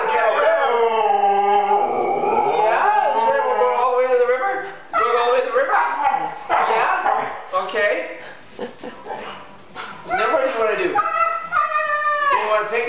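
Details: Pet Siberian Husky, excited about going for a walk, answering its owner with drawn-out, wavering howl-like yodels and whines, rising and falling in pitch. A man talks to the dog in between, asking where it wants to go.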